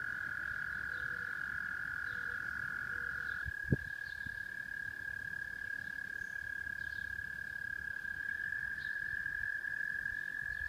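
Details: Rochester, New York frogs in full song, a constant trilled hum with scattered higher peeps; one sudden sharp knock sounds early on, and a few soft lower notes appear at the start.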